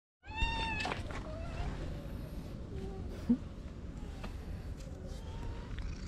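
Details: Orange stray cat being fed and massaged outdoors, giving a clear drawn-out meow with stacked harmonics at the start, followed by softer short mews and a woman's quiet Vietnamese murmuring over low background rumble.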